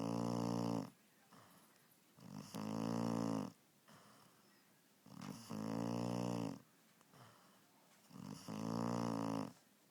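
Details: Loud snoring by Evie, a puppy fast asleep: three rough, harmonic snores about 1.5 seconds long, coming every 3 seconds, quieter breathing between.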